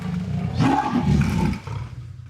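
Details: Jaguar from the jungles of South America giving a snarly, grunting roar: a low, rough burst lasting about a second, fading out, with faint background music.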